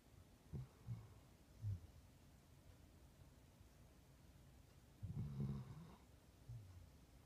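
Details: Puppy named Ozzy asleep on a couch, snoring: three short low snorts within the first two seconds, then a longer rumbling snore near five seconds and a softer breath after, with a quiet indoor background.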